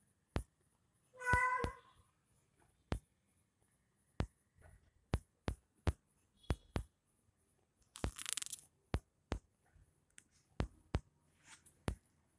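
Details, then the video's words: Cat playing with a kitten indoors gives one short harmonic meow near the start, followed by a brief hissing burst later, amid frequent sharp tapping clicks throughout. "cat playing with Kitten"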